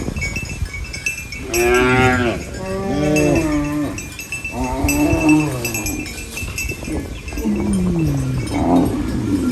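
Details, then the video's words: Cows on a farm eating banana leaves, mooing repeatedly: a string of drawn-out, harmonic-rich lowing calls, some rising then falling, each lasting about a second, with constant background hiss. "Funny cow eating banana leaves Mooing Sounds"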